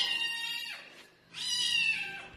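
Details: Domestic cat indoors in a cat room giving two drawn-out meows, each about a second long, strongly harmonic and sliding slowly downward in pitch, separated by a short quiet gap; no other clear sounds.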